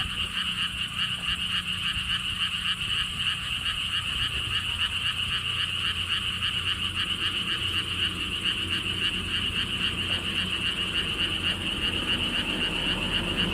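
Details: Frogs at a lotus theme park with a stone wall path in Siheung, Korea, near Gwangokji pond. A dense, steady chorus of rapid pulsed croaks runs throughout, with a low rumble of wind beneath.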